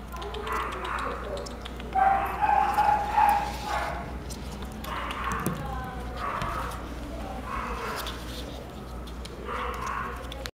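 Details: A Chihuahua gives short, sharp yapping barks in clusters roughly every second or two. A constant low hum runs underneath.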